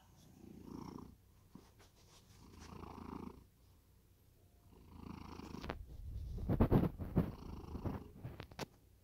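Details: Domestic cat snoring in deep sleep, slow low rumbling breaths roughly every two and a half seconds, with sharper rustling and clicking noises breaking in toward the end.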